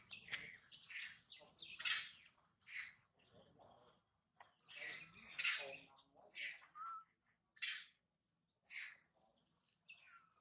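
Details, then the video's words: Baby monkey Mila crying loudly after being bitten and mistreated by its mother: harsh, high-pitched scream bursts, each lasting under a second, repeated irregularly with short silent gaps between them, plus a brief thin whistle-like tone. "The crazy mother monkey bite and mistreat poor baby Mila, Mila very crying loudly"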